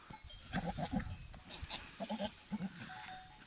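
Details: Male goat (billy goat) in rut, courting a female: low, throaty, stuttering grunts in quick bursts, the sound males make in heat while trying to win over females; rutting call.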